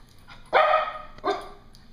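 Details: Excited female Cocker Spaniel indoors while a bark collar box is being opened gives two short, sharp barks about three-quarters of a second apart, the first louder.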